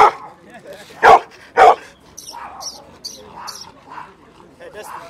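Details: Bullmastiffs almost fighting over attention: two loud, deep barks about half a second apart, then quieter yelps and a voice exclaiming over low background chatter.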